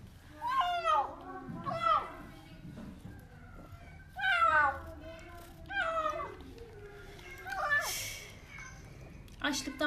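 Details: Famished kitten Portakal, found outside under apartment blocks, wails as it eats, eager for food: a string of about six loud, downward-sweeping meows at irregular intervals, with a woman speaking between them.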